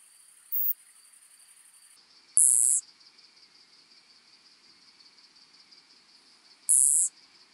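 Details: More-modest plump bush-cricket, Isophya modestior, at Eichkogel, Austria, on 18 June 2022, picked up with a Pettersson D 100 ultrasound detector: three short, sharp, very high ticks at uneven intervals over a faint steady electronic whine.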